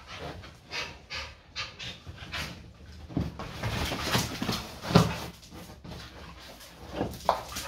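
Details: A Staffordshire Bull Terrier and an American Staffordshire Terrier, best friends, play fight as they do daily: short, rough growls and heavy panting, with no harm done.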